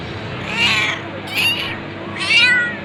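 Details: Three meows from a cat, short wavering cries spaced under a second apart, bright and nasal over faint background noise.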